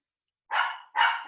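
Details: Pet dog barking indoors, disturbing an online class until it is taken out of the room; two short, harsh barks in quick succession, the second cut off at the end.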